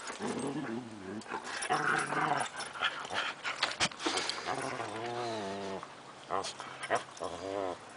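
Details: Frisky Siberian Husky puppies, five months old, playing on a summer afternoon in 2008 with adult dogs; short wavering howls and whines recur several times between scuffling noises, with faint voices in the background.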